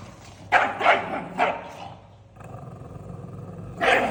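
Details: Angry pug giving three quick, rough barks in a row, then a pause with only a faint low rumble before one more sharp bark at the end.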